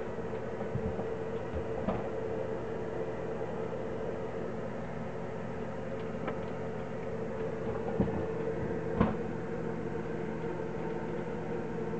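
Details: A steady mechanical hum fills the room, broken only by a few faint clicks and knocks.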